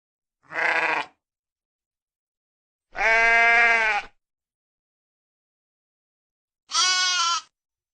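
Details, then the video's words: Three sheep bleats spaced by silent gaps, the middle one longest and fullest, the last thin and high-pitched; clear harmonic wavering cries with no other sounds. "real sheep sound effect"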